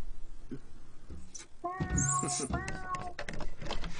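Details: A cat meowing indoors: one drawn-out, tonal meow of about a second, clear and harmonic, with human speech and rustling around it.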